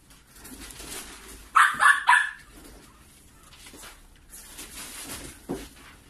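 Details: Litter of five Maltipoo puppy siblings; a quick run of three sharp, high yaps near the middle, then a low soft rustle and one faint short sound, indoors with a steady low hum.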